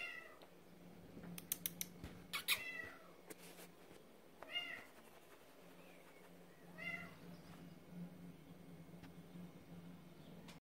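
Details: A male Maine Coon cat wearing a green collar gives a few short, chirpy meows with a steady low hum behind.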